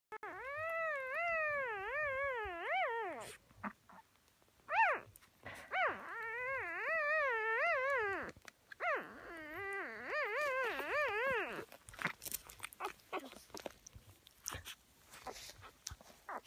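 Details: A black female Whippet puppy from a May 2016 litter complains loudly with long, wavering whines, rising and falling in a pitched, vibrato-like cry repeated in bursts over about twelve seconds, then fading into rustling.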